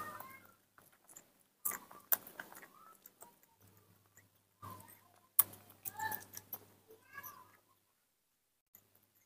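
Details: A baby monkey gives short, squeaky, rising calls in the morning on seeing its milk, begging to drink.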